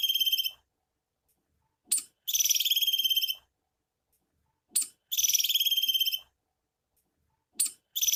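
Sharp, high-pitched chattering trills from a female squirrel come in bursts of about a second, each preceded by a brief chip. She repeats them every few seconds, calling for a mate.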